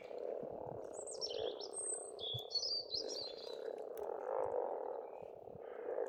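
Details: A spring frog chorus at an Estonian pond keeps up a steady, hoarse hum that swells and fades. Clear whistled and trilling birdsong sounds above it throughout, and there are occasional low knocks.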